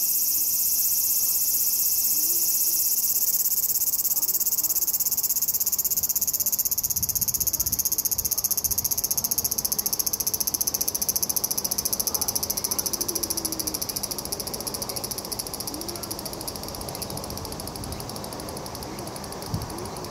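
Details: Autumn song of the large brown cicada, one of the season's final calls: a steady, high, harsh sizzling drone that holds for twenty seconds and slowly weakens toward the end, with faint background chirps.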